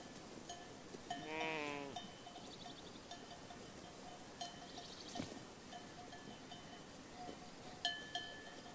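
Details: Sheep herd grazing in a green pasture; one wavering, quavering bleat near the start, then bell-like clinks and scattered bird chirps over a quiet outdoor background.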